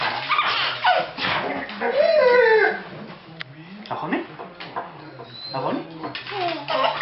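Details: Funny dog giving drawn-out, wavering whines that rise and fall in pitch, interleaved with short yips, while a man talks in French close by.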